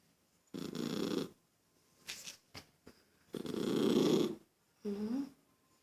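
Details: Toy poodle irritated by a child's noise, giving two rasping, noisy growls of about a second each, with a woman speaking briefly in Portuguese between and after them.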